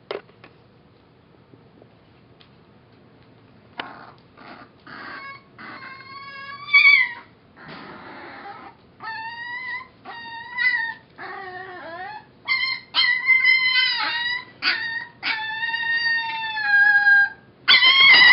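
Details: Former foster puppy Mo, later named Molly, about six weeks old or younger, singing: after a quiet start, a run of drawn-out tonal howls and whines with rich harmonics, some steady, some bending down, separated by short pauses.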